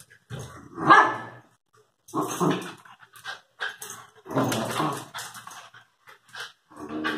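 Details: Lakeland terrier and Airedale terrier puppies give short yapping barks and growls in separate bursts, with gaps of silence between them.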